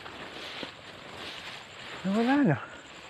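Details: Young goat kid outdoors gives a single wavering, nasal bleat lasting about half a second, rising then dropping in pitch, over a steady rustling rural background.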